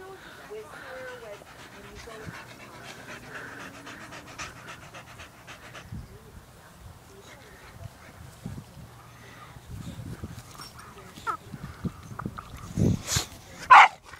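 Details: Dogs playing and going crazy: steady rapid panting with soft whimpers under human voices, then a few sharp, louder yelps in the last two seconds.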